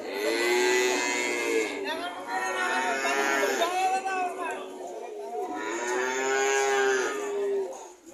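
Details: Cattle mooing repeatedly: several long harmonic moos, some gently arching in pitch, following one another across several seconds with short gaps and faint background noise.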